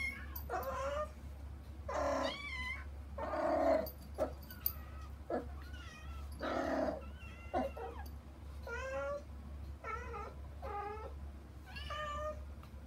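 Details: Kittens Saba and her sister Kagishippo, wanting to reach their mother Hana through frosted glass, indoors; many short high meows, some with wavering pitch, overlapping in quick succession over a steady low hum.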